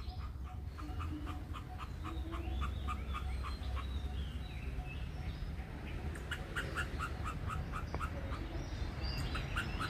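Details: Near its nest, an Indochinese ground squirrel gives bursts of clipped, repeated chip notes that pause and then resume. Scattered high bird twitters and steady low outdoor noise run behind.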